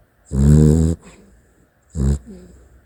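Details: Snoring Dachshund during sleep: two throaty, rattling inhalations roughly a second and a half apart, the first longer, each trailing into a faint wheeze.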